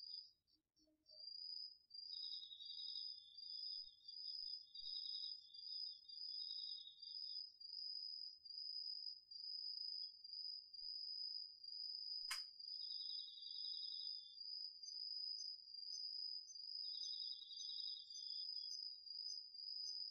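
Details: Autumn insects, crickets among them, singing at night in a home garden field, recorded on a DR-40X: an unbroken high-pitched trill with a lower buzzing pulsed trill entering in three separate bursts, plus one sharp click midway.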